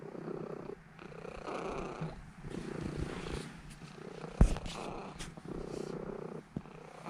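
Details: Purring from Elf, a seven-year-old female Norwegian Forest Cat, kneading as she settles to sleep; a low steady rumble broken by short gaps, plus a sharp click and light rustling near the middle.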